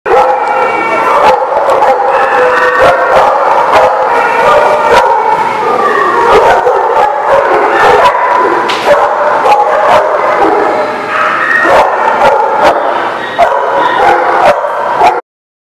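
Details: Many dogs barking together in a loud, unbroken din of overlapping barks, yips and howl-like cries lasting about fifteen seconds, then cutting off abruptly.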